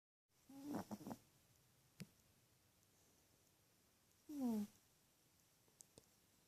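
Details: A sleeping female teacup Chihuahua snores indoors: two short, rough nasal breaths with a falling tonal edge, one near the start and another about three and a half seconds later, in a quiet room.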